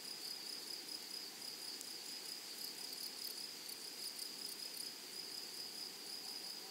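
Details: Grasshoppers in a flowery meadow or prairie keep up a steady, high, hissing trill with a bright tone on top, unbroken and even throughout, with no other clear sounds.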